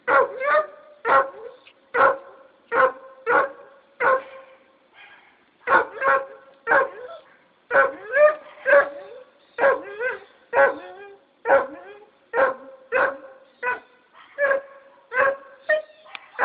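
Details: A Treeing Walker Coonhound on a chain barks steadily, sharp ringing barks coming about twice a second.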